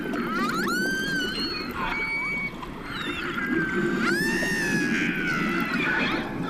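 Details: Wild orcas approaching a boat and vocalizing as guitar is played to them through an underwater speaker; a vocal signature likened to a guitar riff. Bending, harmonic-rich whistled calls rise and fall, one long upswept call near the middle, over steady low water noise.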